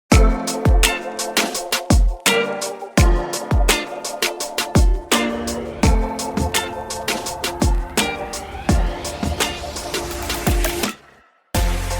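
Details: Beat-driven music with sharp, regular drum hits and sustained tones, cutting out briefly near the end; no animal sounds are heard.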